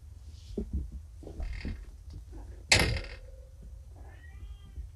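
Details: Recently neutered kittens, found abandoned by a road and now home drowsy from pain meds, give a thin high mew, then a longer, level plaintive meow after a sharp bump, with faint rustling throughout.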